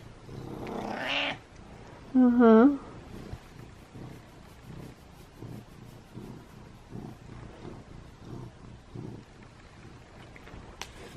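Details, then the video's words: Pet cat giving a short rising meow, followed by a soft, steady rhythmic purr pulsing throughout; a woman speaks briefly at the start. "Cat High Fives, Purrs And Meows"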